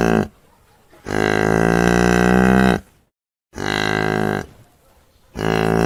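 A cow gives long, loud, rich moos, each held steady for over a second with brief pauses between.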